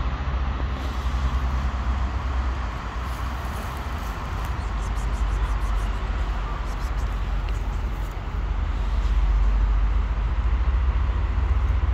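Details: Street traffic roars steadily with heavy low rumble, a passing vehicle swelling near the end and faint speech underneath; no animal voice stands out.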